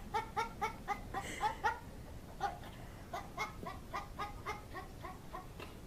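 A goat gives quick, clucking, chicken-like bleats, about four a second, in two bursts with a brief pause between, in a small enclosed space.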